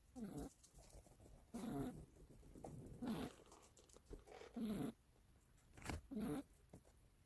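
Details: Joey, the youngest pet cat in a household, snoring while asleep indoors; rough, rasping breaths in bursts about every one and a half seconds, some louder than others, with quiet gaps between.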